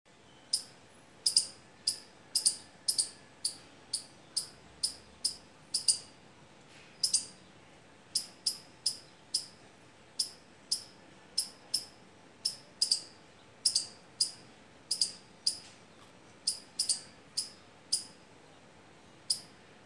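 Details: Squirrel at mango and litchi trees, which it visits as soon as fruit sets. It gives a long series of sharp, dry, high clicking chips, sometimes doubled, roughly two per second, over quiet background hiss.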